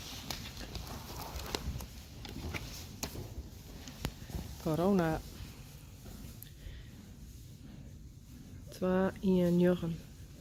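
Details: Friesian horse colts from a herd, Harm and Hendrik fan 'e Goëngamieden, born 2018, recorded March 28, 2020: a short wavering, quavering neigh, then a longer two-part whinny some four seconds later, over faint hoof steps and human voices.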